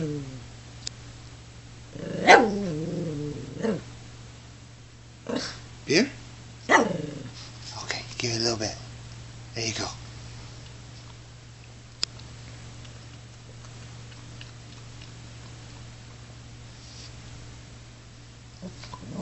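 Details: A Shih Tzu named Zhengpo, enjoying a cold beer, gives a few short, irregularly spaced barks and a growling sound mixed with human speech. Quieter stretches follow.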